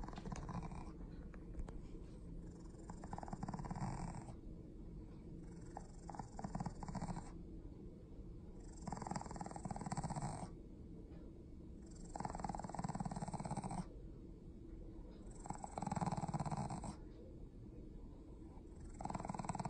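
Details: Shih Tzu/Pekingese cross dog grumbling with a rhythmic low growl, rough throaty bursts of one to two seconds returning about every two and a half seconds between quieter breaths.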